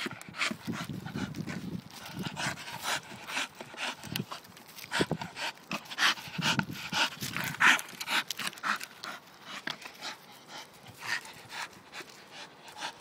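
A Staffordshire bull terrier breathes in fast, rasping pants, about two each second, uneven in rhythm. Brief soft whines and snuffling noises break in between the breaths.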